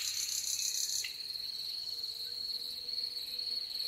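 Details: Crickets in spring woodland at sunset, May 2021, keep up a steady, high, unbroken trill, with a brief burst of airy, pulsing hiss in the first second.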